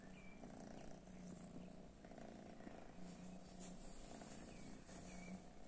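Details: Domestic cats reacting unhappily to cat weed; soft rhythmic purring continues as a low throbbing drone, with short faint high whistles near the start and end.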